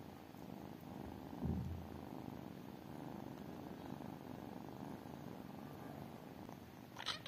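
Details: Tiny kittens purring, a low rough rumble throughout, interrupted near the start by a brief deeper thump and ending with a short sharp rustling burst.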